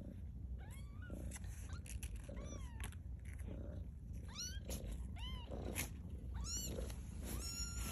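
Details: Maude's two-week-old kittens, Baystate Animal Cooperative, taking their first steps; rapid series of shrill arched mews, often overlapping as several kittens call at once, roughly a dozen in eight seconds, with low rustling underneath.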